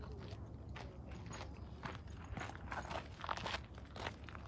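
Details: Crunching footsteps on gravel over a low background rumble, with no clear animal calls.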